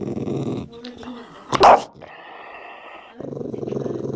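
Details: Dog growling grumpily over a meaty bone at anyone who approaches: a low rumbling growl, then a sharp loud snap-like burst near the middle, a quieter stretch, and another rough growl at the end.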